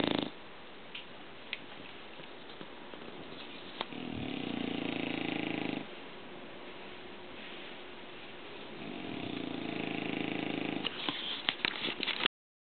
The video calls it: ENGLISH BULLDOG ANGUS SNORING